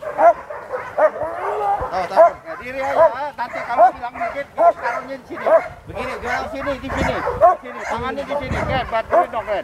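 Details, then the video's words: Aggressive sport dog at Vom Almere Dog Training Centre, Indonesia, confronting a decoy; rapid rough barks and some whining run continuously beneath people talking nearby. "SHINE NANGIS DIHAJAR ANJING BUAS"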